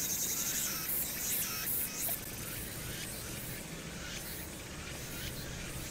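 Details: Summer-night cicada chorus from Hwangnyeongsan, taped 1 August 2019 with the city's noise behind it. A shrill, sizzling wall of sound throbs in bursts for about two seconds, then holds a continuous high whine above a constant low traffic hum.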